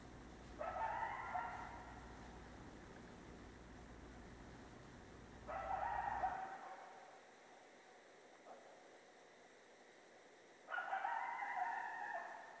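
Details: Coyote calling out at night: three separate bursts of wavering, harmonic howl-like cries spaced several seconds apart, with quiet gaps and a faint click between them.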